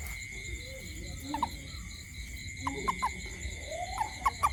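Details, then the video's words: Toad calling at night around a home: short, croaky chirps scattered in pairs and small clusters, over a steady high shrill insect chorus and low background rumble. "Toad frog sound at night"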